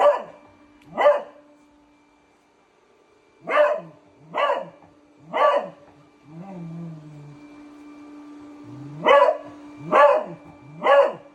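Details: Beagle barking at a robot vacuum cleaner: short sharp barks in uneven bursts, a pair, then three, then three more, with a soft whine between them and a constant low hum from the machine.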